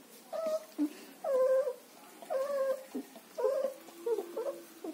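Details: German Shepherd puppies in Chennai whine in a steady series of nasal, tonal cries, roughly one each second, some wavering and dipping, over a soft background hiss.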